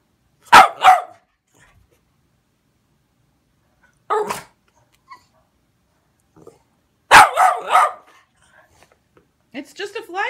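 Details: Boston Terriers bark in short, sharp, spaced bursts at a fly swatter they hate, with a person speaking at the end.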